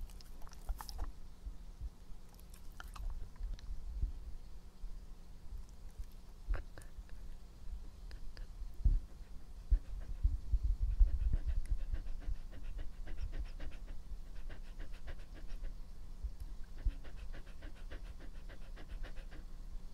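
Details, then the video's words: Epo, a pet dog, chewing in an ASMR recording made in a small room: sharp crunching and clicking bites, dense and irregular, with wet mouth noises over a low hum. "breath/Mastication sound/drink"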